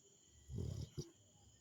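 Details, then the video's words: Rottweiler snoring: a single short, deep, rasping snore lasting about a third of a second, followed by a brief softer breath, against a steady background hum. "cachorro que ronca"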